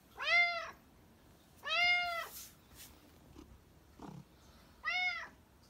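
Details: Loud, clear meows from a black domestic cat: three drawn-out arched calls about one and a half seconds apart, with soft shuffling sounds between them.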